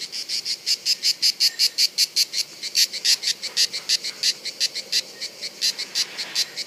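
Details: Cicadas during reproduction at Bollène on 7 July 2015: a high, dry, buzzing song broken into rapid even pulses, several each second, continuing steadily throughout.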